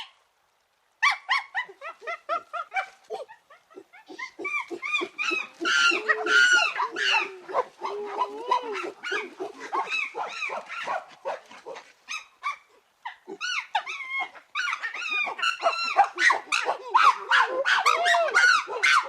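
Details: Chimpanzees calling with loud, harsh hoots and shrieks that rise and break in excited bursts.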